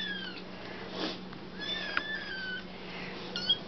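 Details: Two foster kittens crying in the evening for their kitten milk, begging to be fed indoors: several thin, high rising-and-falling meows overlapping through the clip, with a steady electrical hum beneath.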